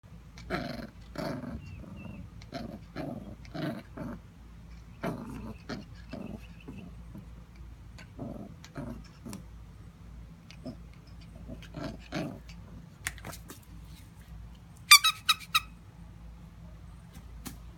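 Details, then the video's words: Knuckles, a Jack Russell terrier, wants to play fetch but refuses to let go of the ball: a series of short, rasping growl bursts repeated through the clip, with a steady low hum and a brief high clatter near the end. "Knuckles the Jack Russell terrier bad dog. Get that ball!!"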